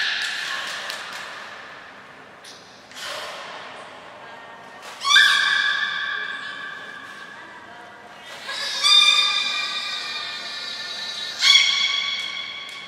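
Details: Belugas Gray, Nana and Mirai during a training session at Port of Nagoya Public Aquarium, 7 June 2022: a series of reverberant, harmonic squealing calls, some starting with buzzy pulsed onsets, separated by quieter pauses in a large echoing hall.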